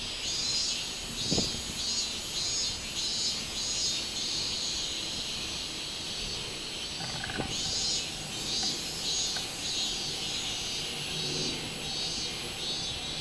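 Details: Minmin cicada on 24 July 2016 giving a loud, high-pitched pulsating song in rhythmic bursts, interrupted briefly, with a few faint knocks and thuds in the background.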